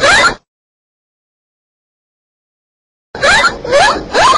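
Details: Dolphin in the sea gives a brief chirp, then three quick rising whistles in a row after a pause.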